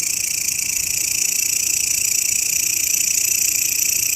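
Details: Grasshopper offered as a master sound for tutoring songbirds: a steady, dense, high-pitched buzzing hiss that pulses rapidly and holds an even loudness for the whole stretch, with no other animals or voices heard.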